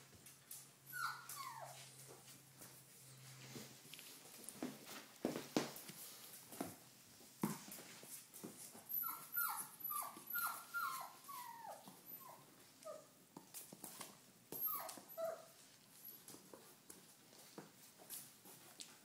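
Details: Doberman Pinscher puppies, red rust coloured, 28 days old, some following their owner indoors; high thin whimpers and yips falling in pitch, repeated in short bursts through the clip, with shuffling and tapping sounds in a small room.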